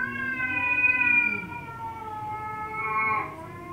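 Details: Domestic cat giving one long, loud, strongly harmonic meow that holds nearly level, swelling and fading twice across under four seconds, with no other clear sounds.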